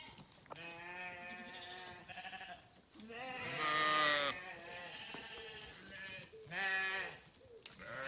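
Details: Grazing farm sheep bleat repeatedly, a chorus of long quavering, harmonic calls, one loud drawn-out bleat in the middle and a shorter sharp one later, with faint background noise.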